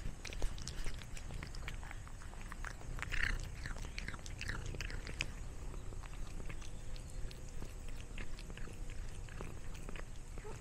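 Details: Cat eating snacks: crisp, irregular crunching and biting clicks, densest in the first five seconds and then softer and sparser, over a steady low rumble of room noise.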